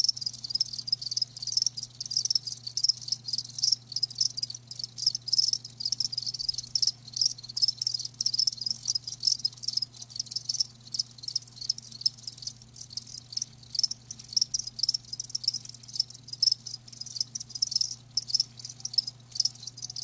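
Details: Live crickets fill the recording with a loud, unbroken high chirping chorus of rapid pulses, a low hum droning beneath.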